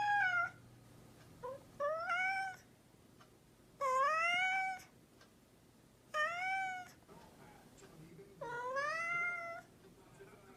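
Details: Mischievous domestic cat meowing indoors: five drawn-out, wavering meows spaced about two seconds apart, some rising then falling, one longer and lower, over a faint steady hum.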